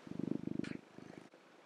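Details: Orange tabby cat purring loudly while lying on its owner's belly, being affectionate; a rapid, even train of low rumbling pulses for most of a second, then softer fluttering, with a brief higher sound in the middle.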